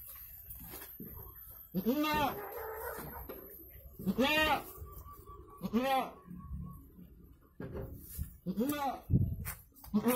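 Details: Goat in Indonesia while delivering two kids, uttering about five tremulous, harmonic bleats every couple of seconds, with people talking and handling sounds in the background.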